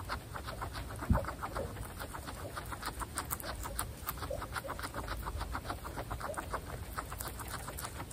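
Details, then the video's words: Butter's family of female guinea pigs eating fresh grass: a steady stream of short, soft clucking pulses and chewing clicks, overlapping and tightly repeated throughout, over a low background hum. "Guinea pig Butter’s family eating fresh grass"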